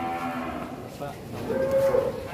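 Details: Large one-tonne cattle, raging and breaking out of its pen: a short bellowing moo rising at the end, over crowd noise.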